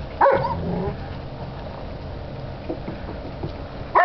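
Alaskan Malamute puppies giving short, high yips and whines at the start and end.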